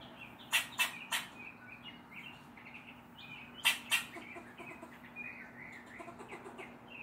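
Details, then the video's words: Short, explosive barks from a neighborhood squirrel upset by a black stray cat: a run of three quick barks, a pause, then two more, with small birds twittering steadily underneath. "Squirrel barking at the cat"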